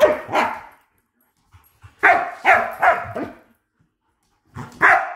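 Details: German Shepherd puppy about three months old, indoors during training. Loud, harsh barks come singly and in a quick run of three or four, with short silences between and a small room echo.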